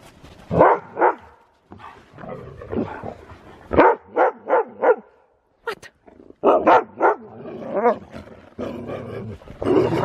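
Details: Excited Siberian Husky racing about in the snow while it keeps snowing: irregular throaty barks and yowls, several quick ones in a cluster, with wavering drawn-out calls in between and short silent gaps.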